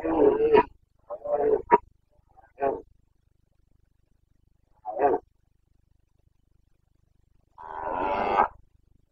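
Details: Red deer stag of the Carpathians roaring in the Bucovina breeding season, late September 2022: a string of short hoarse grunting roars spaced irregularly, a silence of two seconds, then a longer coarse roar near the end.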